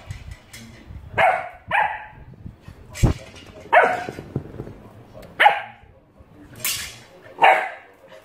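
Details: Oscar, an Alaskan Malamute puppy playing with a shoehorn, gives short, yappy barks and whines at irregular intervals, with a few clatters.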